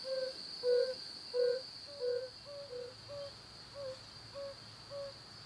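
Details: Breeding-season chorus of male yellow-bellied toads in ruts and pools, calling to draw females. Gentle hollow 'ouh' notes come at an even pace, roughly one and a half per second, some overlapping and slowly fading, with a steady background hiss.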